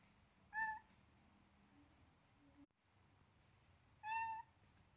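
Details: Blue-eyed seven-week-old Siamese kitten Selena playing with a baby duck: two clear, loud, level meows about three and a half seconds apart, with a faint low sound between them and a quiet room hum.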